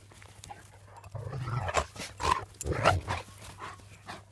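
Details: Tornjak, a Bosnian-Croatian livestock guardian sheepdog, giving three rough, deep bursts in quick succession within a couple of seconds, followed by quieter outdoor background.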